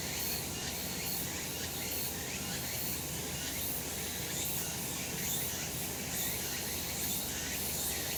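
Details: Cicadas calling on a sunny summer mountainside: a dense, unbroken high-pitched buzzing chorus with soft irregular pulsing, over a steady low background rumble.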